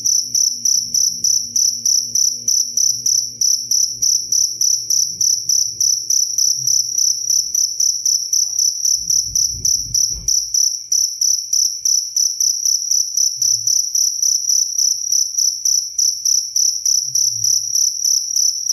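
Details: Crisp cricket chirps for songbird tutoring, a high, steady pulsing trill sustained for the whole stretch, interrupted briefly by a low knock near ten seconds and faint low hum early on.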